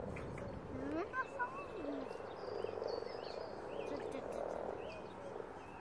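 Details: Common frogs spawning in large numbers in a pond, a dense murmuring croak chorus with brief curling notes, a few louder pulses, and bird calls overhead.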